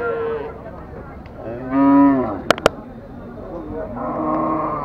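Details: Cattle at a busy cattle market in Bangladesh, one long harmonic moo swelling and fading over about a second, with crowd chatter, other lowing nearby and two sharp clicks.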